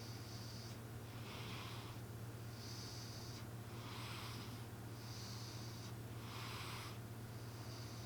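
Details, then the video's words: M the cat asleep and snoring like a person: breathy, hissing snore strokes alternating in and out at an even pace, over a persistent low-pitched hum in a quiet room. "俺のイビキ ロングバージョン💤 My snoring"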